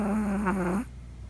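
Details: Sleeping Chihuahua puppy named Poco, heard snoring for the first time at night; a short, low, buzzing snore that fades out abruptly, leaving a faint indoor hum.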